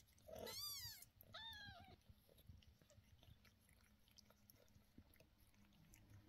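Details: Upset mother cat crying out as her 11-day-old kittens' sore eyes are treated with medicine: one loud, strained, harmonic wail that rises and falls, then a shorter descending cry, followed by rustling handling sounds indoors.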